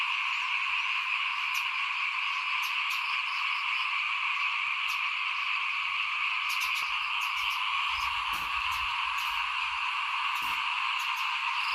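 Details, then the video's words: Small frogs calling in front of a house while rice is sown in 2021 make a steady, high, droning chorus; sharp clicks and a few low thumps break in during the second half. "ฟินๆกับเสียงเขียดร้องหน้าบ้าน ตอนหว่านข้าวเตรียมปลูกปี2021"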